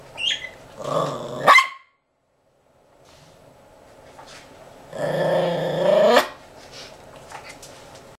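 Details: Nelson, a three-year-old Toy Poodle, barking to get attention: two long, harsh, growly bursts of sound, the first around one to one and a half seconds, the second stretching from five to six seconds, with short quieter sounds between and after.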